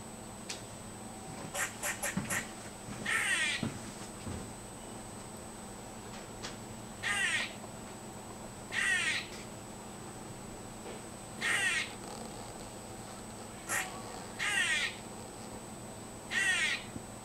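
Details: A squirrel that visits the yard daily suddenly makes strange, harsh, raspy, nasal calls, each about half a second long and repeated every couple of seconds.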